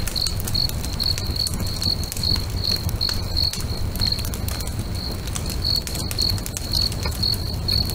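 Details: Crickets singing at sunset beside a crackling bonfire next to a lake: a steady high-pitched chirp pulsing about two to three times a second, over sharp fire crackles, snaps and a low rumbling background.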